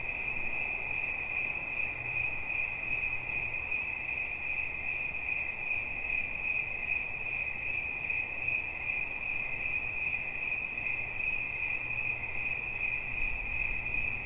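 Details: Persistent cricket chirping, a dense high trill of quick even pulses at a fixed pitch with a faint higher overtone, over a quiet low rumble that lifts slightly near the end.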